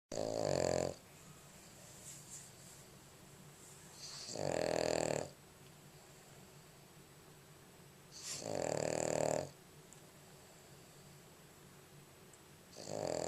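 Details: A sleeping Boston Terrier snores loudly, each rasping breath about a second long and repeating every four seconds; recorded February 11, 2011.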